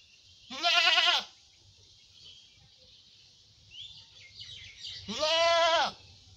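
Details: Black goat bleating twice, each a loud, wavering, strongly harmonic cry under a second long, separated by about four seconds of quiet with faint background chatter.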